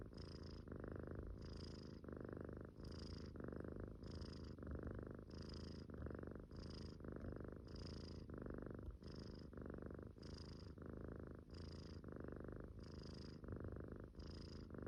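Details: Munchkin kitten snoring steadily in its sleep, about eighteen rhythmic breath cycles, each a low rasping purr-like rumble with a brief airy hiss between breaths, in a quiet room.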